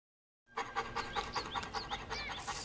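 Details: Shar Pei dog panting: quick, even breaths about five per second with a breathy hiss, steady throughout after a silent start.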